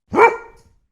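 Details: Dog giving one short, sharp bark that rises quickly and fades over about half a second, with no other sounds.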